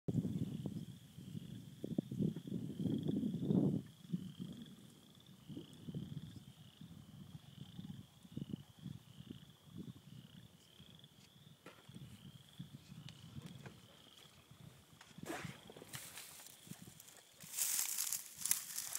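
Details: Many frogs calling at a beaver pond in spring: dense low clucking croaks in rapid bursts, loudest early on, over a steady high repeated peeping note; sharp broadband rustling noises near the end.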